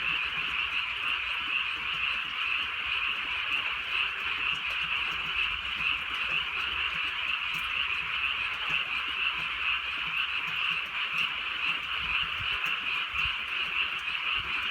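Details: Frog chorus in the countryside at night as rain falls softly: countless croaks merge into one continuous shimmering drone, holding level throughout, over a quiet bed of rain.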